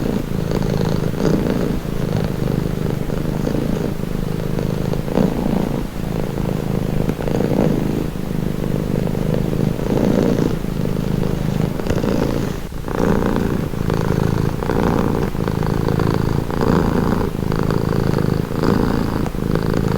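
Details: Steady, deep purr from a domestic cat lasting the whole stretch, its throbbing drone rising and falling with breathing cycles, a short dip near the middle then resuming evenly.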